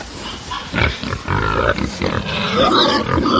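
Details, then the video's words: Angry pigs on a farm: a dense, overlapping mass of harsh grunts and squeals, several animals calling at once, with rough noisy bursts and higher squealing notes continuing through the clip. "atmosphere of a farm with angry pigs"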